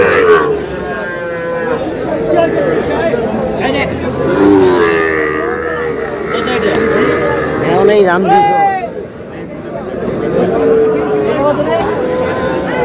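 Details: At a packed livestock market in Rangpur, Bangladesh, young bull and heifer calves moo repeatedly in wavering, nasal calls, some sweeping upward, against a background of men talking and the hum of the crowd.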